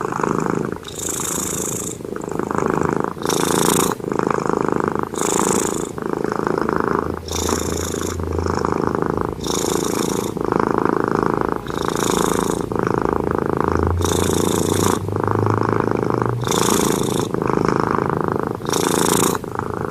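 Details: A cat asleep and snoring steadily, each breath a raspy rumbling inhale followed by a hissing exhale, repeating roughly every one and a half seconds in an even rhythm.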